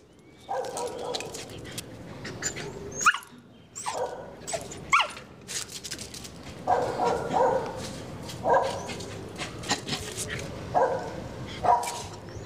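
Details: Border Collie barking at a neighbour it is making friends with; short, mid-pitched barks in an uneven series of about nine over twelve seconds, some in quick pairs, over steady background rustling and noise.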